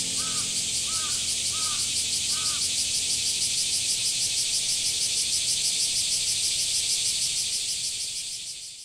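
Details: Cicadas calling in summer at Ōike Park, Tōkai City, Japan, under strong sun: a dense, steady, high buzzing hiss with a fast shimmering pulse. Four arched calls from another bird come early, faint music fades at the start, and the chorus softens at the end.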